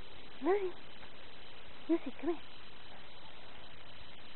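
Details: One of three dogs, Dixie, Lucy and Zoey, meeting snow for the first time gives three short yelping barks: one near the start, then a quick pair about a second and a half later, over steady low background rumble.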